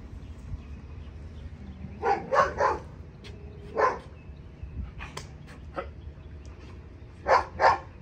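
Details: German Shepherd on a leash during obedience training, short sharp barks in pairs and singles with pauses between, a low background hum throughout.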